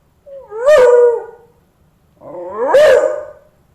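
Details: Beagle named Champ howling at a dead cockroach he had befriended, seemingly trying to rouse it; two drawn-out, tonal howls, each rising then gently sliding down, separated by a short pause.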